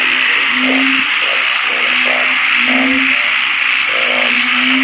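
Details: Thai อึ่งเผ่า and อึ่งยาง narrow-mouthed frogs croaking where a large crowd gathers: deep moaning notes rise slightly and recur roughly every second, set against a loud, even wash of buzzing chorus.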